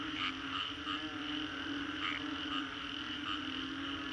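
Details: Many frogs calling after a storm in the Green Corridor, Singapore: steady chorus of short ringing notes repeated in quick succession, a stronger call near two seconds, all over a continuous low hum.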